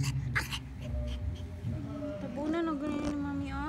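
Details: Pomeranian puppy giving a thin, wavering whine that rises and falls in the second half, over low voices and soft background music.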